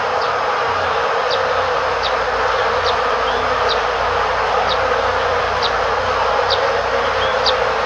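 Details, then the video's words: Honey bees flying in front of their hive in Korea, recorded by a camera set beside the hive; a dense, steady hum fills the clip, with short high ticks repeating about once a second. "벌통 옆에서 들리는, 꿀벌 날아다니는 소리"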